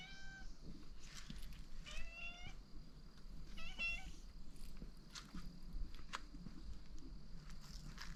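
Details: Cats on Tashirojima, the cat island off Ishinomaki, Miyagi, Japan, in 2023, flocking to their returning owner in hope of dinner. Several clear, tonal meows rise and fall in short bursts within the first four seconds, over a steady low outdoor rumble.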